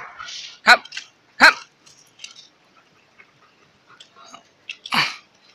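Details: Several loud, abrupt barks from a pet Alaskan Malamute, two close together and then one more after a pause, with a person talking softly and moving around in between.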